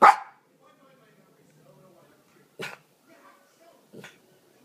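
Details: Cooper, a male Miniature Pinscher, begging in the evening to play with his laser toy: one loud sharp bark opens, followed by two shorter, softer barks about a second and a half apart, with faint whining in between.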